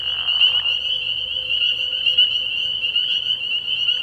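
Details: Spring peepers chorusing at night at a frog pond early in the year, a steady wall of high, bright peeps with occasional louder individual calls and a brief soft rustle at the start.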